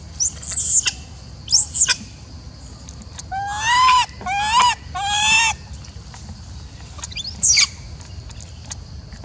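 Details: Macaque Elpida, called a golden girl of the Maha Nokor group, sounding upset and jealous as old female Susie is fed: three drawn-out, harmonic, slightly rising coos in a row, framed by sharp high squeaks and faint background hiss.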